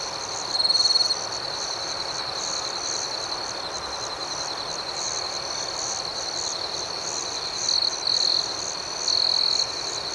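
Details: Night cricket chorus with a continuous high-pitched ringing trill, broken by louder pulsed chirps about one second in and again in several bursts toward the end.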